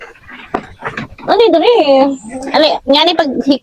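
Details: Goats on a farm during the daily routine of herding them out to graze: a quavering, wavering bleat drawn out for nearly a second, then two shorter tremulous bleats, with people talking and laughing nearby.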